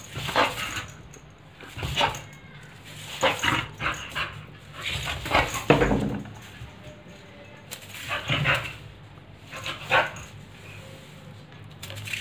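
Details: A pit bull at play with a broomstick gives rough, broadband barks and growling bursts in uneven runs about every one to two seconds, with scraping and knocking noises in between.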